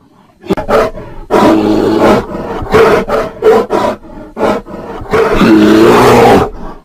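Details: Mating bear producing gruff, rasping roars mixed with choppy grunting pulses, building into a longer sustained roar near the end.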